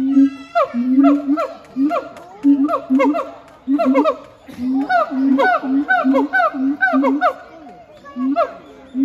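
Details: Heart and Brave, a siamang pair at Chiba Zoological Park, Japan, singing together on 12 November 2022: dense overlapping series of sharp rising barks over steady low booming hoots, quickening mid-clip, then trailing off.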